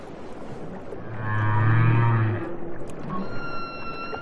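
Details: Humpback whale vocalizing off Maui, Hawaii, apparently a solitary male, heard from a boat directly above it: a low, sustained moaning tone swelling for about a second and a half, with faint higher harmonics and water noise around it.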